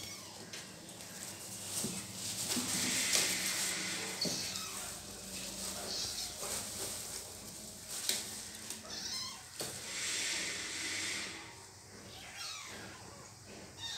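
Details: Kitten meowing for help while its mother cat bites it; high, strained meows come in short bursts, stronger around the third, sixth and tenth seconds, over a rustling, scuffling background.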